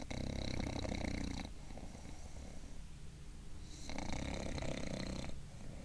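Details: Gilbert, a bulldog dozing in a sitting position, gives two harsh, rumbling snores about two and a half seconds apart, each lasting over a second, with softer noisy breaths between them in a small room.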